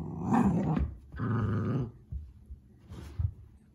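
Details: Playful Pomsky puppy growling in a small room while tugging and chewing a rag wash cloth; long throaty growl in the first second, a second rumbling growl after it, then quieter snuffles and a short huff near the end.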